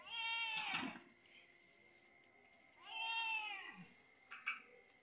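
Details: Ill cat under treatment by madrasa students gives two long, wailing meows about three seconds apart, each starting high and sliding downward, over a constant high-pitched hum and brief handling noises.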